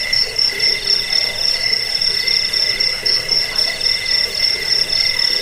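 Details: Cricket sound to repel rats and train birds: a nearly continuous shrill, high trill with fast faint pulsing, about four beats a second, over a steady buzzy background.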